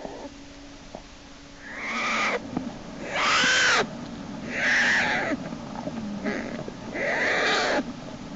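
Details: American black bear cub named Jason kicking and screaming as his sibling Hope pulls him back into the den by his back leg; loud, harsh, wheezy squalls in several bursts about a second long, with short pauses between.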